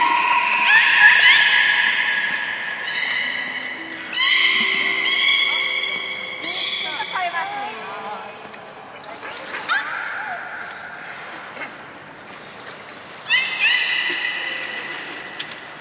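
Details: Training-session vocalisations from belugas Gray, Nana and Nico, Port of Nagoya Public Aquarium, New Year's Day 2019, after the 16:00 public training. A run of varied harmonic squeals and whistles, some sweeping downward, with short pauses between bursts.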